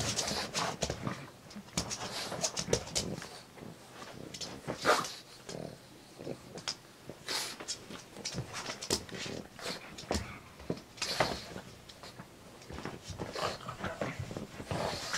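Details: A pet pug named Pugsy after a park walk, giving a long run of irregular rough bursts and quick huffs. A few louder peaks stand out, with near-constant activity throughout.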